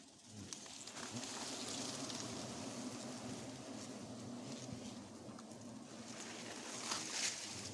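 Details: Wild forest honey bees swarm around their nest as it is found and harvested for honey on the spot; a steady, low droning hum holds throughout, with faint rustling and outdoor background noise.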